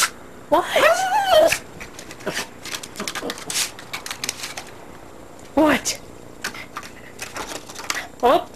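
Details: Pet dog, a female, barking at a tree from inside by a window: a long whining bark near the start, then two shorter sharp barks later, separated by quieter shuffling and an owner's voice.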